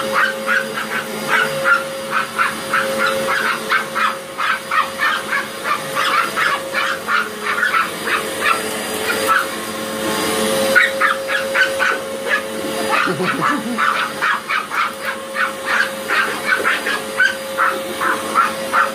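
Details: Two Chihuahuas confronting a Hoover vacuum, yapping in quick, high, staccato barks that come in dense runs, one short lull midway, with the vacuum motor humming steadily underneath.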